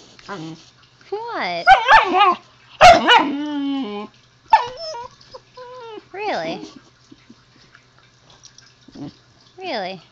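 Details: Young pet husky talking to its owner indoors, producing bursts of warbling, wobbling yowls that rise and fall in pitch, one long drawn-out moan in the middle, then softer trailing whines with longer gaps.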